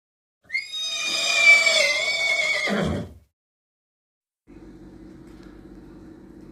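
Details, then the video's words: Horse, shown with its foal, giving a loud whinny: a bright, harmonic neigh of about two and a half seconds that quavers, then drops into a low, rough ending. Silence follows, then soft music. "Caballo galopando relinchando y comiendo"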